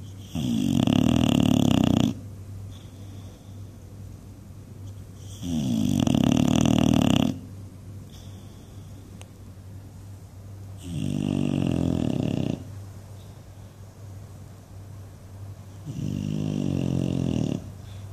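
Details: Dreaming English Bulldog called Buddy snores loudly indoors: four strong rattling, flapping snore bursts of about two seconds each, roughly every five seconds, with quiet breathing between and a low background hum.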